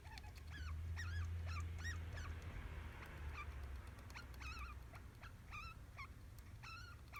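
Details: A pet degu that answers when called by name gives a run of short chirpy squeaks, each rising then falling, about three a second, over a steady low hum.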